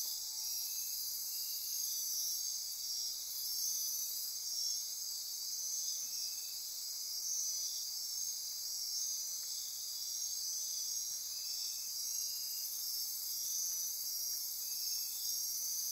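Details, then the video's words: Midnight rainforest insects on Costa Rica's Osa Peninsula near Corcovado National Park, pulsing and buzzing in a continuous high shimmer, with short brief lower chirps recurring every few seconds beneath the dense chorus. "Costa Rica Rainforest - Midnight Insect Chorus"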